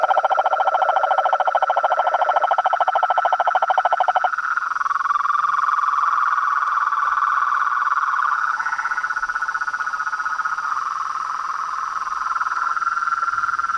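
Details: Nighttime symphony of toads, frogs and tree frogs at a pond by a house: a rapid pulsing trill opens, giving way to a sustained overlapping croaking chorus of many callers.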